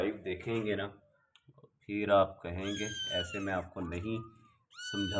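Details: Persian kittens, white, black and grey; high, thin rising meows with clear tonal harmonics, several in the second half, overlapping a man's speech that fills much of the recording, indoors.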